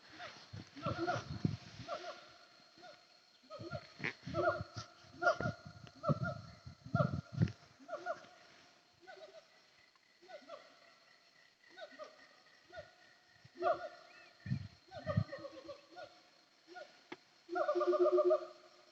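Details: Wild siamang calling on Bukit Kalowan, hills between Nagari Paru and Nagari Durian Gadang, heard while travelling from Aie Amo to Sumpur Kudus: rapid, strongly harmonic hooting barks in quick bursts, with low rumbling thumps and a steady high insect-like whine.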